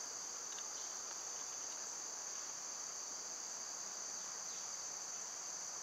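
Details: Cicadas in summer, when they are loud, recorded on a quieter day: a steady, unbroken high-pitched droning hum fills the background, with a few faint short chirps from birds early on.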